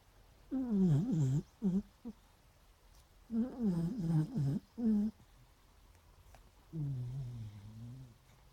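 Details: Sleeping beagles snoring and dreaming: bursts of wavy, whimpering moans rising and falling in pitch, in two clusters of short pulses, then a long, low, droning snore-like groan near the end.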